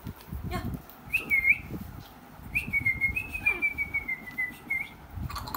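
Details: Shih Tzu puppy whining in thin, high whistled tones: a short wavering note, then a longer drawn-out whine that slowly falls in pitch, over low rumbling background noise.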